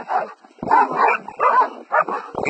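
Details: Black Belgian Malinois named Radja during bite-work attack training, lunging at a decoy: harsh, rough barks in rapid bursts over two and a half seconds, each bark noisy and mid-pitched, with short gaps between them.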